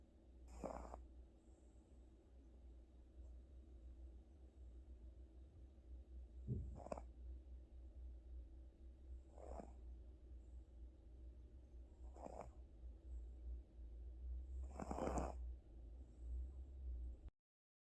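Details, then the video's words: Gucci the cat, exhausted after a hospital visit, snores in a fairly even rhythm of about one breathy rasp every two to three seconds, some with a faint whistled catch, against a steady low droning background. "고양이 코골이 전문가"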